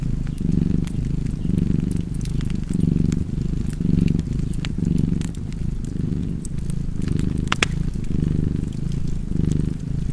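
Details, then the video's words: Cat purr, a deep continuous rumble rising and falling with each breath, while a fireplace crackles with scattered bright clicks and one louder pop near the end. "Purring Cat and Fireplace"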